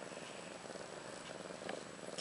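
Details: Steady, fast-pulsed low rumble from new mother cat Ashley, roughly one year old, lying with her two newborn female kittens Maggie and Rose, born March 30th 2013; a brief faint click near the end.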